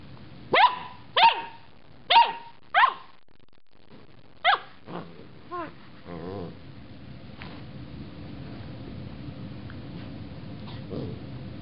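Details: Loki, a pet dog confronting a carrot top, fires off four loud, evenly spaced barks, then two weaker ones. These taper into quieter yips and a low rumbling growl over a steady background hum.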